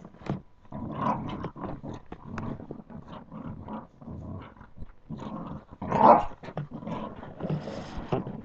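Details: Puppies at play keep up a continuous ragged growling with clicks and scuffles, and a louder yelping burst past the midpoint.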